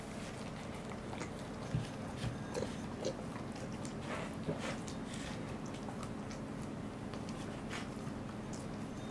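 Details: Welsh Corgi named Goro eating a fish, recorded 2 August 2014: irregular wet chewing and crunching clicks scattered through the clip over a steady low indoor hum.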